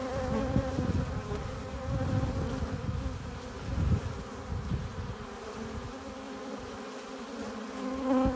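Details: Hive entrance of honey bees returning with nectar and pollen: a thick, constant hum of many wings, stacked steady tones over rumbling low bumps that ease off toward the end.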